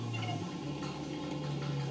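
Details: Low-frequency elephant rumbles from a female and a male, sped up two and a half octaves into hearing range: a deep steady hum with a faint buzzy overtone.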